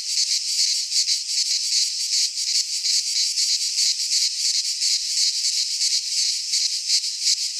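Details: Greek pine forest in midsummer, cicadas in full song; an unbroken high rasping drone with quick rhythmic pulses throughout, steady in loudness, nothing else audible.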